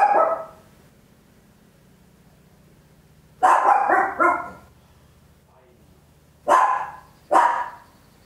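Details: Tiny Papillon dog barking very loud at home: a single bark, a long pause over a low steady hum, then a rapid triple bark and two more spaced barks.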